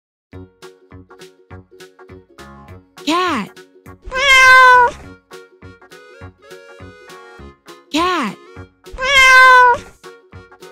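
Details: Domestic cat meowing twice over light children's background music: each time a short arched voice sound is followed by a long, drawn-out harmonic meow, with the pair repeating about five seconds later.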